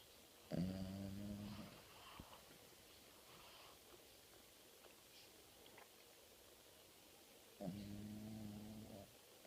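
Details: Napping family dog, male, snoring loudly: two drawn-out, buzzy, low rumbling snores, each lasting over a second and about seven seconds apart, with quiet breathing between them.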